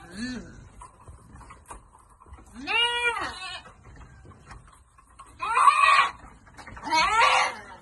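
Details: Farm goats receiving vitamins in the Philippines; a few separate quavering bleats, one rising and falling with strong harmonics, followed by two harsher, louder bleats near the end, with faint background voices.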